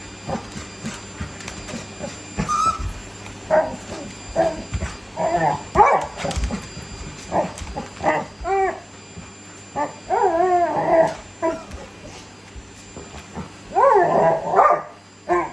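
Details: Labrador Retriever grown excited by a vacuum cleaner, playing alongside a Shiba Inu; bursts of whining, yelping and short barks with wavering rising-falling whines, separated by quiet gaps, over a steady low hum.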